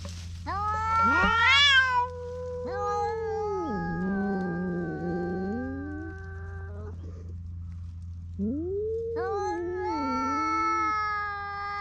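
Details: Caterwauling by stray cats on a Japanese cat island, squabbling over one fish, filmed with a GoPro: sliding, warbling yowls that dip and rise, a pause, then another bending howl, with a constant low hum beneath.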